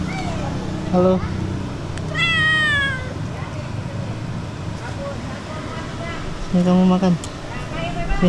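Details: Stray cats being fed on the street, several meows including one long, wavering, high call and shorter chirpy mews, with low engine hum and brief voices.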